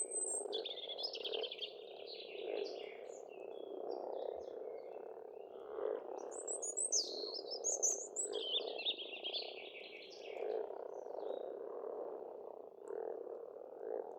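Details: Frogs croaking together at a pond in Estonia in spring, an unbroken low rolling chorus pulsing in waves, while birds add scattered high trills and whistled notes throughout.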